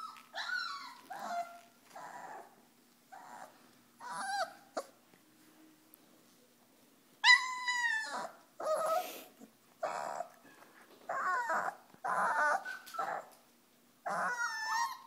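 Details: Pyrenean Mastiff puppies aged four weeks, Nikita de la Tierra Alta's litter, playing together: loud repeated high yelps and whining cries in short bursts about once a second, some sliding downward, with a brief quiet pause midway.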